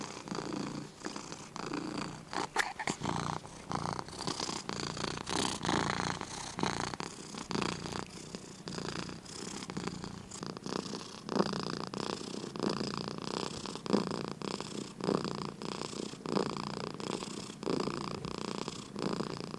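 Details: A sleepy domestic cat purrs steadily, a low rhythmic rumble rising and falling with each breath.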